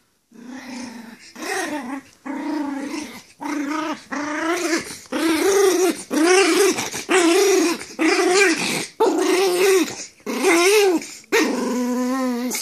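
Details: Pomeranian growling while play fighting with another dog: about ten tonal, wavering growl bursts, each under a second, repeated roughly once per second with short gaps between them, rising and falling in pitch.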